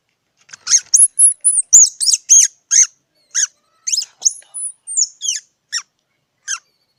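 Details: Squirrel calling: a run of sharp, high squeaky chirps, some with rising then falling whistled sweeps, delivered roughly once a second in an uneven series, with no other clear sounds.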